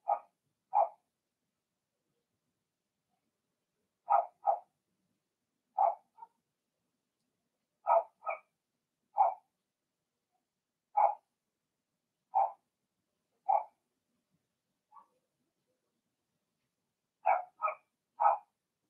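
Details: Blenheim Cavalier King Charles Spaniel puppies in their indoor puppy pen bark in short high yaps, often in quick pairs, repeated every second or two with brief quiet gaps and no other sounds.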